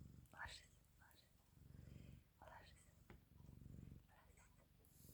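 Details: Canadian Sphynx cat getting cozy and warm, purring steadily with the rumble swelling on each breath, overlaid by soft whispered speech and faint rustles.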